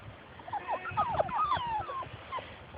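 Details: Several Labrador Retriever puppies at play outside, running after their mother, give a burst of overlapping squeaky yips and short falling whines that crowd together in the middle, over a low rumbling background.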